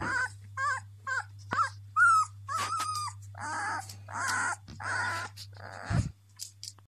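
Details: Beauceron puppy, black and tan, 13 days old, crying from hunger: a run of short high whines and yelps, some sliding downward, in quick succession with brief pauses, plus a steady low hum behind.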